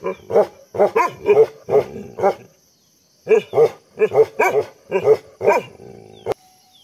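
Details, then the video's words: Heavy barking from Dabu, a Bhotia dog: bursts of deep, harsh barks in quick doubled and tripled runs, a pause of about a second, then another run ending in a sharp click. "Bhotia Dog Dabu llHeavy Barking Soundll"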